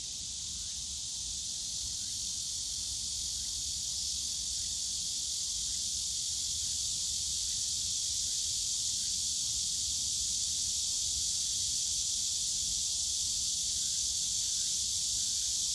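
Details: Summer cicada chorus in the bamboo forest at Yongsan Family Park: an unbroken shrill hissing buzz, very even in loudness for the whole stretch, with soft low rumble of park ambience underneath.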